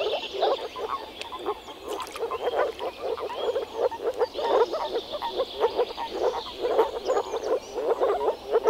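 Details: Moor frog males calling in early spring at a forest pond during mating, a dense chorus of short low croaks repeated rapidly and overlapping, many callers together, faint higher bird notes above.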